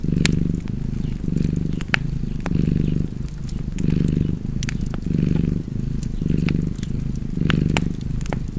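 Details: Deep rhythmic purr of a cat, each inhale and exhale forming a separate rumbling pulse about a second long, accompanied by frequent crisp pops and ticks of a fireplace.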